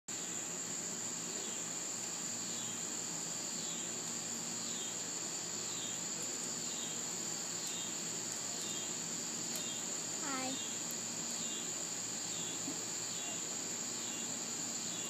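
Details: Cicadas drone in a steady high-pitched buzz that runs unbroken through the whole recording, with faint rhythmic pulsing chirps above it; a dog listens nearby, and a brief descending squeak cuts in about ten seconds in.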